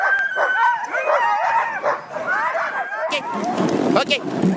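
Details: Husky sled dogs on a Russian Karelia sled safari yelp and howl in an excited overlapping chorus for about three seconds, then a burst of broad rushing noise and human voices partly covers the dogs.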